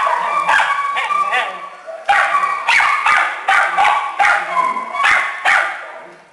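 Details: Small dogs and puppies in a shelter kennel give a run of short, sharp, high barks and yips, roughly a dozen bursts with several callers overlapping in a reverberant room.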